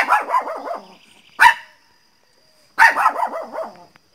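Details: A pet Pinscher called Teco barks loudly, a fast wavering run of yelping barks, one sharp bark, then another rapid wavering series after a short silence.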